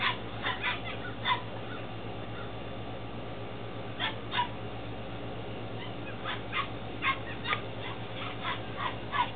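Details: Ten-week-old Belgian Malinois Shepherd puppies in Williston, Florida, recorded 28 April 2015; short sharp yips and small barks burst out irregularly, sometimes in quick pairs, over a steady low electrical hum.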